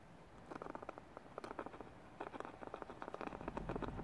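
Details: A European hedgehog treated for a heavy lungworm infestation in early December breathes with a rough, crackling rumble, typical after deworming and still healing; the lungs can be felt vibrating at the chest.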